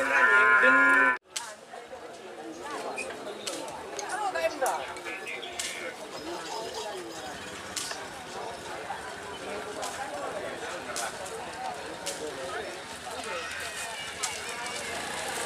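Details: Madura cattle at a Kerapan Sapi bull race, a traditional Madurese contest from Madura island, East Java, Indonesia. The recording opens with one loud, rich moo lasting about a second, followed by a steady outdoor crowd murmur with clatter and scattered voices.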